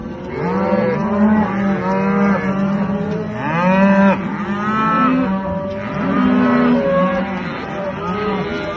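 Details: Aberdeen Angus cattle at a farm, a herd mooing continuously: many overlapping drawn-out, harmonic lowing calls, some rising then falling, from several animals at once, with no pause throughout.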